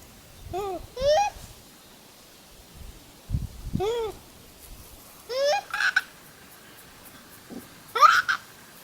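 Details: Wild Japanese macaques calling back and forth: five loud, tonal coos, each a brief arched or rising whistle-like note with rich harmonics, spaced one to three seconds apart, a few quieter low sounds between them in a calm outdoor setting.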